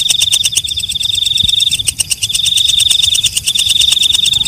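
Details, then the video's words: At night a walang kecek katydid keeps up a brisk, metallic ticking, several pulses each second, beneath a sharp, sustained high-pitched ring that breaks briefly near the middle. "Suara Walang Kecek/ Belalang Malam"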